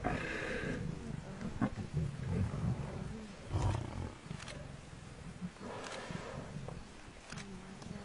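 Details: Lion pride, filmed with Shindzela tented camp, pulling down a buffalo cow as her herd charges in: deep rumbling growls and snarls in overlapping bursts, with harsh noisy outbursts every second or two.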